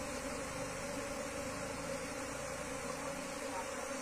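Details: Buzzing of a wild Asian honey bee colony during its move into a cultivation box, an unbroken low hum layered with a higher overtone over steady hiss.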